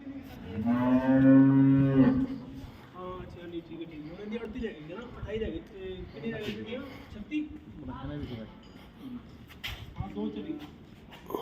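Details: Cow at a dairy farm in Samora village, Karnal, Haryana, India, giving one loud drawn-out moo lasting about a second and a half, followed by people talking and general farm noise.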